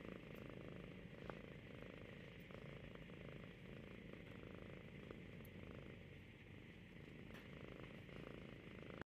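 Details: Domestic cat dozing off while cuddling its owner's arm in Ashland, Oregon, being gently petted; a faint, even, low purr runs throughout, with occasional soft clicks and a quiet indoor hum.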